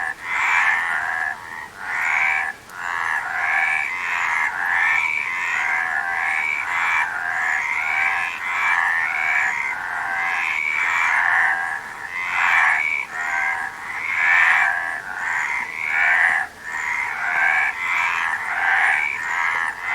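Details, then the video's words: Frog calls in a nature recording, twenty seconds of continuous rasping croaks in irregular rhythmic bursts, with nasal rising notes over a dense chorus that briefly drops away a few times. "Frog Sound"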